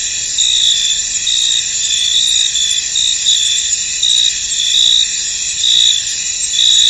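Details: Crickets in a misty, foggy field form a dense, continuous high-pitched chorus of overlapping trills, with brighter pulsing chirps standing out at roughly one-second intervals; no other clear sounds.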